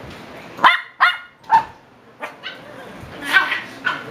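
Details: Seven-week-old Shiba Inu puppies give short, high yips and squeaky barks in quick bursts.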